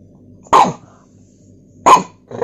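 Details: A pug demanding his toy with two loud, abrupt yelping barks about a second and a half apart, followed by the start of a third, over a low indoor hum.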